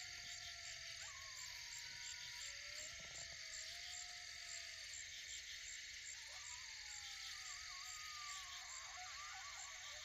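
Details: Coyotes and pups howl together late at night, long wavering notes rising and breaking into yips over a constant insect chorus, while deer watch nearby.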